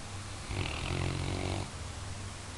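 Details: Labrador Retriever snoring while asleep, joked about as the best guard dog: one long rasping snore of about one second with low rumbling harmonics and a breathy upper hiss, quiet room around it.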